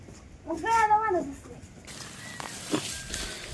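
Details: Newborn water buffalo calf at a farm cattle shed on a rainy-season morning, giving a single drawn-out tonal bleat of under a second that rises and then falls, followed by people talking and handling noise.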